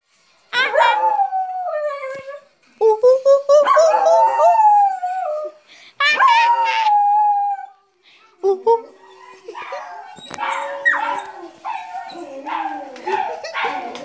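Dogs howl and cry in long, wavering, falling tones, set off by recorded ape calls.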